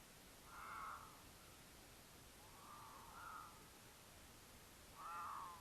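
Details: Two mountain lions courting in Utah, caught by a camera set on their travel path; the female caterwauls to attract the male, who occasionally answers. Three short, faint, tonal wails spaced about two seconds apart over steady hiss.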